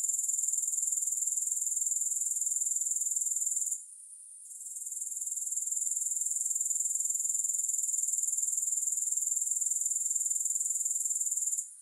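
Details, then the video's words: Grasshoppers producing an unbroken high, thin, rhythmic buzz at around four pulses a second, with a short lull before the fourth second and a fade at the very end. "Grass Hopper Sounds"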